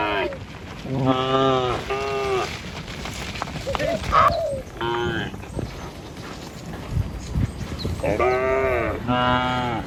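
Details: Morning cattle herd, dozens of tame animals, walking across a river bridge toward fields; short paired moos at the start, a lone call midway, then two more moos close together near the end, with scuffing and low background noise.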